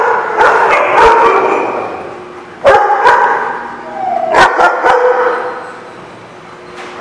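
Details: Barking dogs on 30 July 2016: scattered sharp barks and yips, including a loud bark near the middle and a cluster later, over a busy, noisy background.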